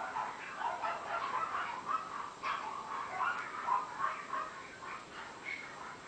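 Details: Tiny female Shih Tzu puppy, 70 days old, voicing quick, uneven high-pitched yips and whines in a nearly unbroken chatter. A few brighter squeaky notes stand out near the end.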